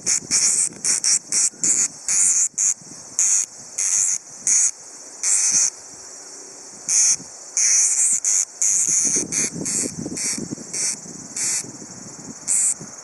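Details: Tsukutsuku-boshi cicada singing on an August afternoon around 5:26 pm, 2013: loud, high, hissing buzz bursts pulsing in quick regular succession, each burst brief and sharply cut off, over a fainter steady insect drone, with soft rustling near the end.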